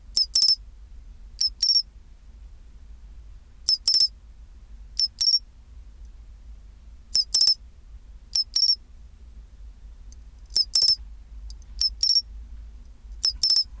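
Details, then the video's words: At 24°C, a pine cricket gives its chinchirorin: crisp, tinkling high chirps in pairs and threes, roughly ten bursts with irregular gaps of one to two seconds, over a faint constant low background hum. "チンチロリン Sound of pine cricket"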